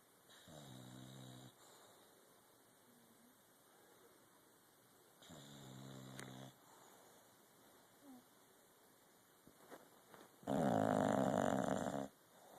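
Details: A sleeping English Bulldog snores in slow, rumbling breaths, the last one much louder.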